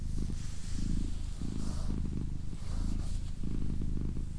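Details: Low, throaty purring from Doroti, a pet female cat, in a short stretch; the rumble rises and falls in even pulses, with faint hushed whispers in the background.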